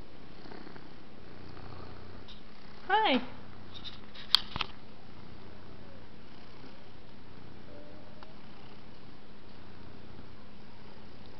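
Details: Sleeping pet cat purring softly indoors, a low steady rumble running throughout, broken near the three-second mark by one brief rising chirp and later by a sharp click.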